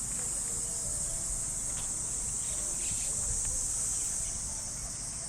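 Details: Cicadas in the trees of a Japanese park on an early summer morning: a steady, shrill, high-pitched drone that holds unbroken throughout, over a soft low outdoor rumble.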